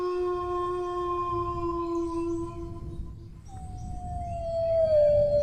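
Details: Dog howling in long sustained tones, a steady mid-pitched howl holding for about three seconds, then a brief pause and a new howl starting higher and sliding gently downward, with a low rumbling background hum throughout.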